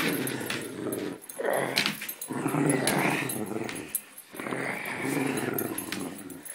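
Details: Great Dane growling while playing tug of war with a pink poodle toy indoors: rough, low, rumbling growls in three long bursts separated by short pauses, with faint rustling from the struggle.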